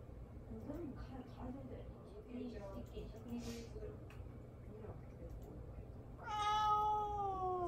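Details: Indoors, the cat Mamedaifuku, ignored while seeking attention, gives one loud, clear meow near the end, rising then slowly falling, after several seconds of soft talk and faint background sounds.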